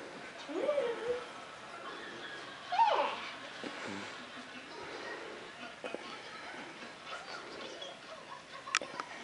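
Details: A Maine Coon cat, a huge male nearly one year old and still growing, gives two short, rising-then-falling meows a couple of seconds apart.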